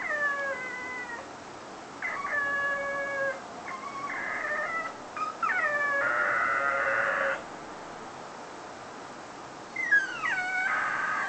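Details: Foster whippet left alone at home while its carer went shopping, giving odd sustained howls: drawn-out tonal wails, some sliding downward, in bursts of about one to three seconds separated by short pauses.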